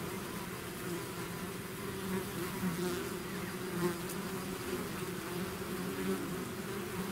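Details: Bees swarming out of their hive make a thick unbroken hum, layered low tones wavering slightly as single insects fly close past the recorder.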